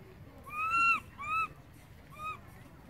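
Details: Baby monkey named Berry crying loudly for its mother after Beaker moves far away: three clear, high, arched wailing cries with rich harmonics, the first longest, a brief pause between each.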